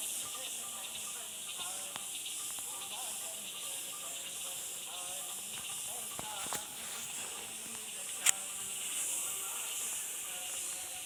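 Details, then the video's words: Insects calling steadily in a natural setting, a continuous high hiss-like drone with two bright bands held for the whole stretch, a few faint clicks and one sharp tick near the end. "Fantastic sound of Insects"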